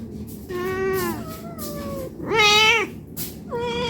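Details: Hungry domestic cat meowing for food: a long, drawn-out meow that slowly falls in pitch, then a shorter, louder rising-and-falling meow, and the start of a third.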